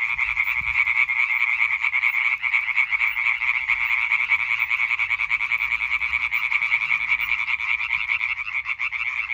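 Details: European tree frogs calling in a dense chorus recorded on 20 May 2023; rapid, overlapping nasal croaks merge into a continuous rattling band, pulses packed too tightly to separate, steady loudness throughout.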